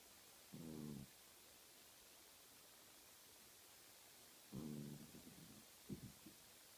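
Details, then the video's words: Sleeping pet cat snoring while twitching: two short, low, buzzy, harmonic snores about four seconds apart, each lasting around half a second, followed by softer, broken breathy sounds in a quiet room. "Cat snoring and twitching in sleep"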